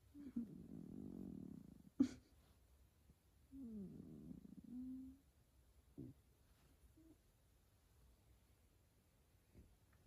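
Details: F2 Savannah cats Kumba and Taj, pets waking up in the morning after sleeping and cuddling in bed, give two low rumbling purring bursts of about two seconds each, separated by a sharp click and quiet room sounds.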